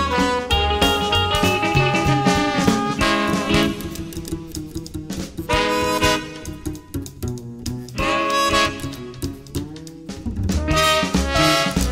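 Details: Lively swing jazz with saxophone and brass plays throughout, with no animal sound heard.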